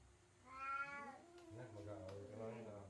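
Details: Orange father cat quarrelling with another cat indoors, harmless: a rising then falling meow followed by a low drawn-out growling moan, with a woman calling the cat and urging them to stop.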